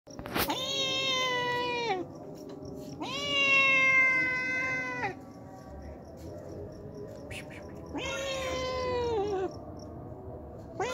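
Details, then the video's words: Hungry homeless cat that comes daily for milk, giving three long, drawn-out meows, each steady and then sliding down in pitch at the end, separated by quiet gaps. "Hungry Homeless Cat Comes Daily For Drinking Milk"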